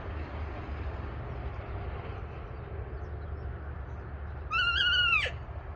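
After several seconds of steady low rumble, an alpaca lets out a single squealing call, held level and then falling sharply. The call is brief and piercing, with a strong, ringing tone over the background noise.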